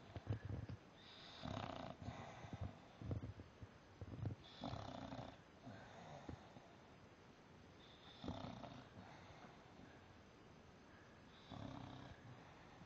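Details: English Bulldog asleep on its back, snoring steadily: repeated coarse, low, rasping breaths every two to three seconds over about thirteen seconds, some with a whistly upper edge.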